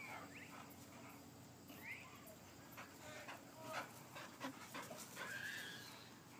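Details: Male Boxers Bacon and Jake in energetic rough play, captured on iPhone: short high whines and yips over steady panting and scuffling, with brief clicks and a quiet background.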